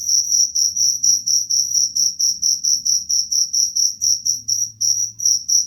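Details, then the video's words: Cricket voice meant to repel rats: evenly spaced, piercing high-pitched chirps, roughly three each second, with a steady rhythm and a faint low hum underneath. "Suara jangkrik pengusir tikus"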